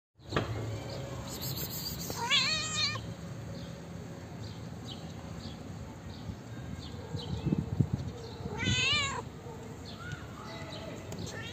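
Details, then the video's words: Calico cat, a female, gives two clear rising-and-falling meows about six seconds apart, each with stacked bright harmonics, over steady low background noise. "Calico cat has the cutest meow you'll ever see"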